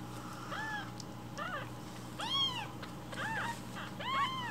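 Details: Baby rescue kittens asking loudly for breakfast milk in the morning; short, downward-bending meows roughly every second from several kittens, over a constant low room hum.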